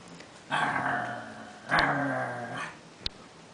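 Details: Chihuahua puppy growling while playing with a person in her giraffe-print bed: two drawn-out, rough, buzzing growls, the second starting at about 1.7 seconds, followed by a brief sharp click.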